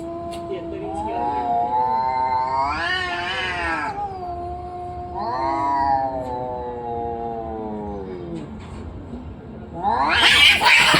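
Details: Cats in a fight: long moaning yowls sliding up and down, a low growl beneath, ending in a sudden harsh hiss or spit.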